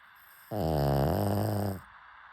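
A pug snores with a low, rattling, buzzy breath lasting just over a second.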